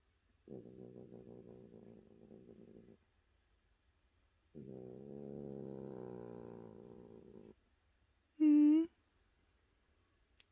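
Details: Two separate stretches of low pulsing cat purring, each a few seconds long with a short silent gap between, followed by a brief loud steady beep-like tone and a faint click.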